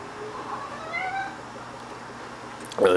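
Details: Shio-chan, a talking pet cat, during a dash game she is growing bored with; a faint, drawn-out meow rises and falls over about a second against quiet background, ending in a sudden burst of noise.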